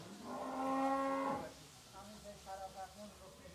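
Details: Heifer calf, one of seven 13-14-month-old farm heifers for sale in Pabna, Bangladesh, gives one loud, harmonic, level moo lasting just over a second. Softer, broken lowing and faint background noise follow.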